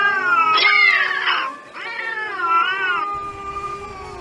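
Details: Fighting street cats, strays, yowling in angry drawn-out wails with rich harmonic bands that rise and waver, one harsh burst around the first second, then a long wavering howl fading into a low steady tone.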